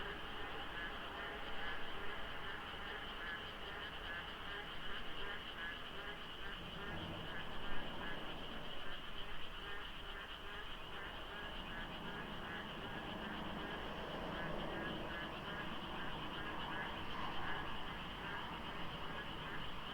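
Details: Countless frogs calling in the dark at dawn, rainy season, by the foggy Deokso IC highway with few cars: continuous, layered croaking and rattling trills filling the background, with faint low vehicle rumble.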